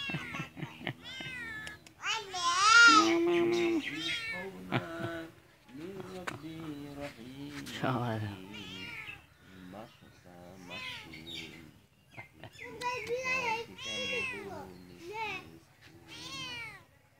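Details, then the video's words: A cat gives a run of drawn-out, bending meows, some long and wailing, others short, mixed with near-constant Bengali speech from people close by. "cat animals sound videos"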